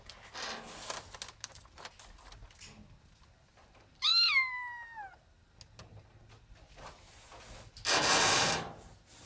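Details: Ginger domestic cat in a small room giving a single drawn-out meow that dips slowly in pitch, followed by a broad burst of rustling noise.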